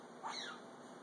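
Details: A serval gives a single brief, high chirp that slides quickly downward while she eats.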